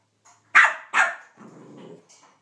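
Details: Two loud, sharp barks from a male Cavalier King Charles Spaniel protesting that a Minnie Mouse toy took his bone, followed by a short low growl.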